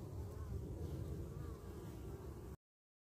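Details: Carniolan honey bees guarding their hive against wasps; a thick low buzzing drone with a faint wavering whine above, cutting off abruptly.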